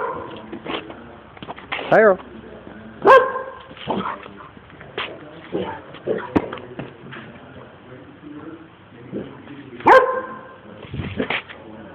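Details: Excited pet dog making a string of varied calls: rising yowling barks and short yips spaced a second or more apart, some with a whining, tonal quality, mixed with a person talking.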